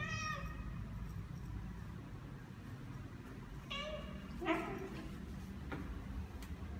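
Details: Ao, a seven-month-old neutered Ragdoll cat, walking outdoors through a newly occupied apartment complex in Korea with few people around; two short harmonic meows, one at the start and another near four seconds, over steady low rumbling background noise.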